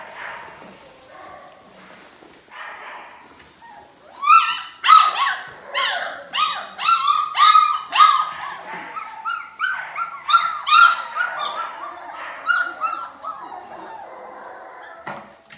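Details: Four-week-old Belgian Malinois puppies from a litter of eight, three males and five females born 13 January 2020, at feeding time after quiet murmurs burst into rapid, repeated high yelps and whines, nearly two per second, gradually tapering off.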